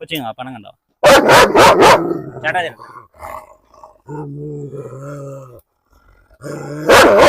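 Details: Unleashed German Shepherd in Perumbavoor, provoked during a dog challenge, gives a fast run of four loud barks, then a pause filled with talking and a drawn-out tonal sound, before one more sharp bark at the end.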